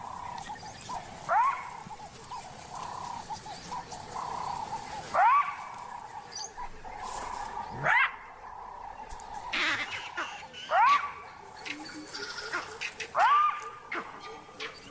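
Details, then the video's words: A jackal gives sharp, upward-sliding alarm barks every few seconds over a steady hum, echoed by vervet monkeys chattering in the distance; the alarm calls, coming from the direction of a leopard's den, alert the leopard Mosweo. "The jackal's barks are echoed by vervet monkeys, chattering in the distance."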